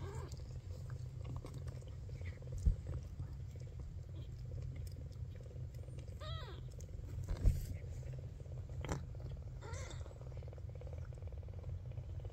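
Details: A very young Maine Coon kitten, the last of his litter to open his eyes, purrs steadily, with a couple of brief, rising mews breaking in.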